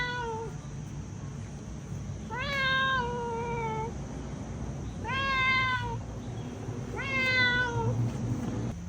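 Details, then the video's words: Meowing domestic cat, shared to help locate a lost cat; four plaintive meows, a partial one then three full ones spaced about two and a half seconds apart, each falling in pitch at the end, with low steady hum behind. "เสียงแมว เสียงแมวร้อง แมวร้อง"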